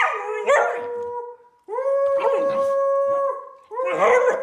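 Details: Samoyed named Middle, a female turning three, howls on her birthday: sustained level tones broken by a short gap, with a human voice overlapping the calls.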